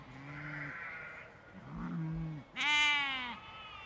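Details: Sheep and lambs of a large field flock: low, flat ewe bleats at first, a pause, then a sudden loud, high, quavering lamb bleat rising above a deeper voice.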